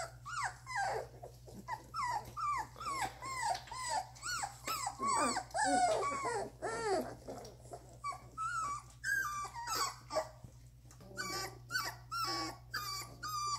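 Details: Litter of Doberman puppies aged two and a half weeks, whimpering nonstop: arched, rising-then-falling cries repeated about twice a second, sometimes overlapping, fading to scattered squeaks near the end, with a faint background hum.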